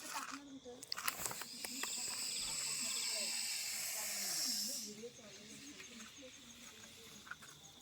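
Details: Russell's viper that turned up at a home, being caught by a snake rescuer before release: a steady, breathy hiss of about three seconds, mixed with nearby men's talk.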